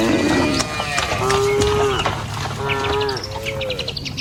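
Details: Tame village cattle, herded in a line across a wooden bridge toward pasture along a rice-field path, give overlapping harmonic moos, several short and slightly rising, with bird chirps flickering high above.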